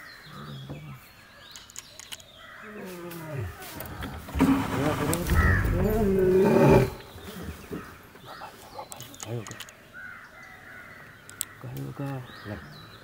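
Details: Wild Asiatic lion during territory marking: a loud, deep, harmonic roaring call swells for about three seconds in the middle, framed by quieter low grunts, with a human voice speaking and faint birds in the background.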